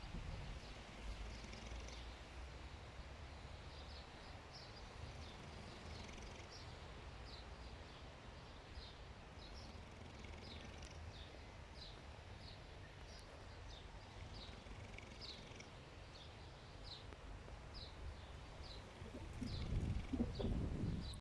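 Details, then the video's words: A pig sleeping at Queens Park snores in a low, steady, purr-like rumble that continues throughout, while small birds chirp high and repeatedly in the background and a louder rustling burst comes near the end. "Pig Snoring"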